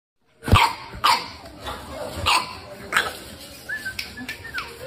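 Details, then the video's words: A puppy gives four short, sharp barks spaced about half a second to a second apart, followed by softer sounds and a brief whistle-like tone in the background. "cute baby dog barking"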